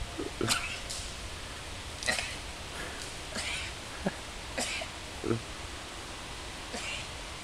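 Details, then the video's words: Lamb seen in Holland, the Netherlands, with a very human-like cough: about six short, harsh, breathy bursts spaced irregularly over several seconds, some doubled, against a quiet hissing background. "Coughing Dutch Lamb"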